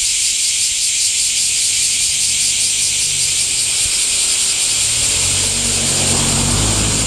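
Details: Cicadas singing in summer heat: a dense, steady high-pitched hiss with a faint pulsing shimmer, unbroken throughout, over a low rumble of distant traffic that swells near the end.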